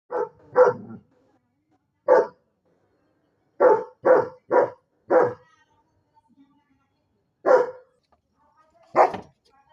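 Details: Double-coated German Shepherd barking loudly: about ten sharp, harsh barks in uneven bursts, some doubled or tripled close together, with short silent gaps between them.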